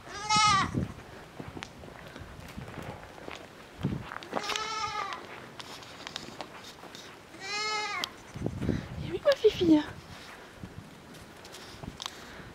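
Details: Petite Pelotte, a tiny miniature goat kid walked out to nurse from its mother, which adopted it after several days. It gives three wavering, harmonic bleats spaced about four seconds apart, amid a woman's coaxing French speech and rustling.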